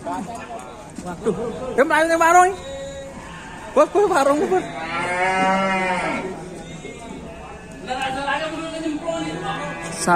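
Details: Raging cattle bellow loudly: a strained call near two seconds, another at four, then a long, steady, rich moo lasting about two seconds, with further lower moos and faint voices after it.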